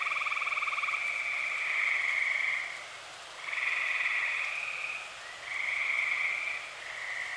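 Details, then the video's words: Night chorus of dozens of tree frogs in early summer, Eastern Pennsylvania: long, steady high trills lasting two to three seconds, separated by brief quieter gaps, with a faint lower pulsed buzz at first. "Dozens of tree frogs sing"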